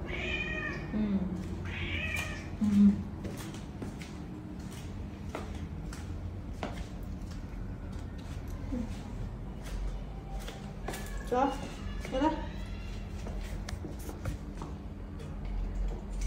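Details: House cat in a corridor, clamouring to go outside again. Several rising-falling meows come early, then a pause, then a louder cluster of calls near the end. A person talks to it in between, over steady low hum.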